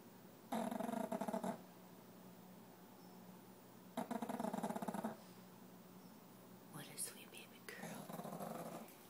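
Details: Female Boston Terrier pup napping indoors beside a second pup: two loud, rasping, buzzy snores about three and a half seconds apart, each lasting about a second, followed by a person talking softly.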